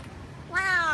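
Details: A street cat that visits a doorstep daily for food makes an unusual sound while eating bones: a single drawn-out, slightly falling nasal meow lasting about half a second, following quiet room noise.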